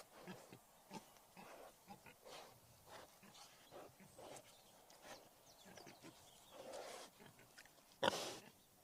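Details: Wild boar grunting softly and irregularly, muffled low snorts scattered through the recording, ending with one sharp, loud click-like knock near the end.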